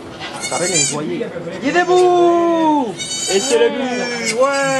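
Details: Goat giving birth to two kids in a sugar shack near St-Benoît, Quebec, Canada, recorded on an iPod Touch 4G: two drawn-out, steady, nasal bleats of about a second each, with French speech talking over and between them.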